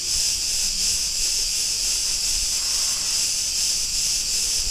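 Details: Cicadas on Crete, recorded in a street of Ierapetra, Greece, give an unbroken, sizzling high-pitched buzz that swells and fades softly, nearly free of other sounds.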